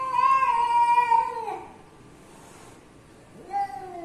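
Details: Stray Persian cat giving a long, drawn-out harmonic meow that falls slightly at the end, then a short pause and a second, briefer meow, indoors with little background noise.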